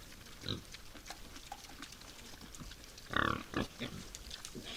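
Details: Wild boars at night at a forest feeding site: a short, harsh, broadband grunt-squeal burst stands out about three seconds in, followed by a softer grunt, with faint rustling and low background noise between.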